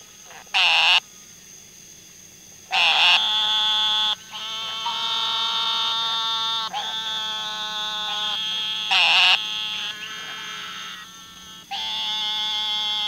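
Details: Frogs calling in overlapping high, buzzy trills, several held for seconds. Brief louder broadband bursts break in at intervals, with a faint low hum underneath.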